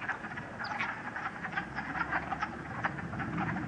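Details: Many wood frogs, the first of 2013, chorusing at a pool in Uxbridge, Massachusetts, on a sunny late-March day: overlapping hoarse, duck-like clucks in rapid succession, with some low handling rumble.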